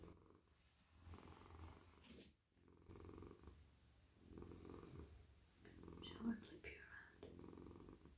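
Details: Friendly male domestic cat purring in a lap while being petted on the head, neck and body; a continuous low rumbling purr under soft human speech, with a brief pause near the middle.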